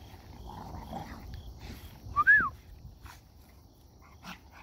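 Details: Merle American Bully at a kennel, around a repeat breeding of LBJ and Donatella: faint soft whimpers, then one sharp, short, high whine that rises and falls, with scattered clicks and low background rumble.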